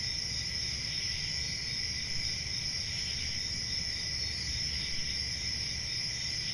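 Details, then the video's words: Crickets calling together in a dense, unbroken high-pitched trilling chorus. The sound holds steady in several shrill layers throughout, over a soft low rumble of background noise. "Relaxing Cricket Sounds"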